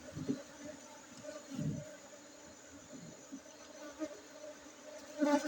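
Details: Honey bees of Aceh buzzing in a constant low drone with an overtone above, with thumping knocks at the start and middle and a louder buzzing swell at the close.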